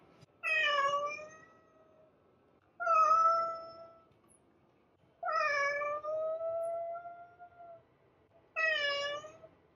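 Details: A cat gives four loud meows roughly every two to three seconds, each opening bright and sliding down slightly, one held long and wavering at the end.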